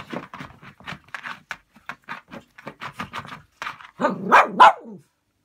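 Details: Cavalier King Charles Spaniel with Chiari-like malformation and syringomyelia, a dog that chews its paw tips, digs at the floor and rubs its muzzle on it; rapid series of short, sharp yaps indoors, ending in three louder, fuller barks.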